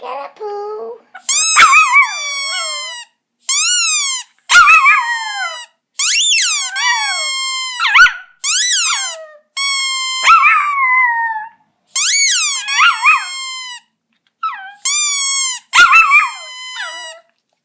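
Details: Squeaky toy sets off Poco, a pet Chihuahua, in August 2014: a run of shrill squeaks and thin, wavering howls, roughly ten short bursts with gaps, some notes sliding downward at the end.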